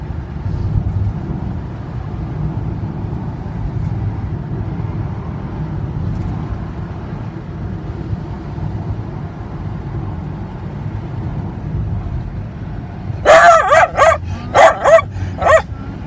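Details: Pembroke Welsh Corgi barking after eye contact is made: a burst of five sharp, loud barks near the end, spaced under a second apart, over steady low traffic rumble from passing vehicles.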